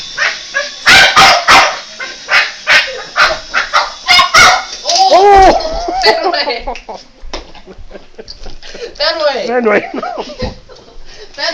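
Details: Boston Terrier attacking a toy helicopter, a burst of quick sharp barks in the first half, then human speech and voices dominating the remainder.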